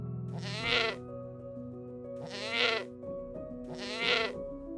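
A sheep gives three wavering, nasal bleats about every one and a half seconds over soft background music.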